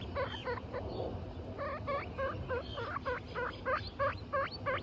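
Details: Butter the guinea pig and her three babies, Lion, Tofu and Mochi: short bursts of rapid, bright squeaky notes, a brief pause after the first few, then a quicker, slightly irregular series of chirpy calls resuming to the end.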